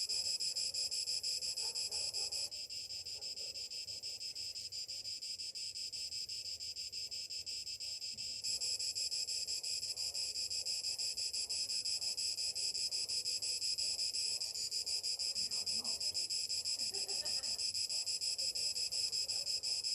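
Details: Morning chorus of summer cicadas, a continuous dense, shrill drone that swells in steps at about two and a half, eight and fourteen seconds, with faint lower chirps underneath.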